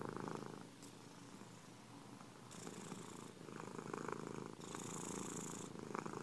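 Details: Close, continuous purring of domestic cats, a grainy rumble alternating between softer and louder hissing phases as the breathing shifts, with no other sounds audible.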